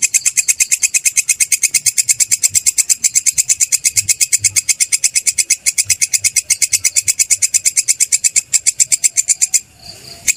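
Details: Belalang kecek (kerik) grasshopper, recorded for use as a tutor sound for songbirds: a steady train of rapid, dry, high-pitched ticking pulses, evenly repeated for about nine seconds, then stopping abruptly with a faint low rustle at the end.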